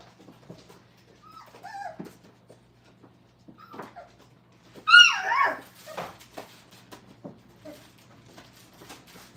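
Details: Five-week-old Brittany puppies learning crate training indoors: soft, high whimpers near the start, then one loud, rising and falling yelping whine midway, followed by fainter whines and small clicks and knocks in a quiet room.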